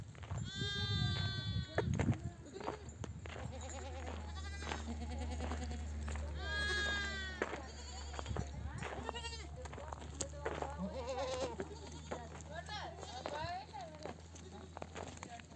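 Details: Mother sheep of a nomadic flock in oak-dotted desert country, back from grazing and bleating to nurse their lambs: overlapping harmonic, wavering bleats come in bursts, several voices at once, over a steady low engine-like hum and rustling.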